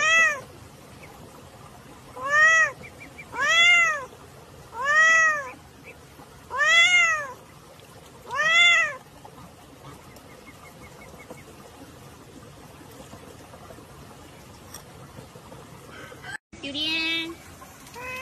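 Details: Cat from a funny cat reactions compilation meowing five times in a steady series, each call arching up then down, about one every second and a half, followed by a long stretch of low background hiss.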